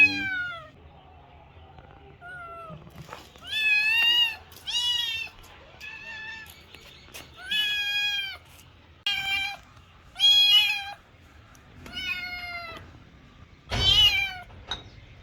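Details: Loud kitten meows in quick succession, clear bright harmonic calls that arch up and down, about one each second, with a brief sharp click near the end and a low background hum.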